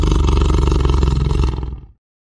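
A tiger gives a deep, rumbling roar that fades out after about two seconds.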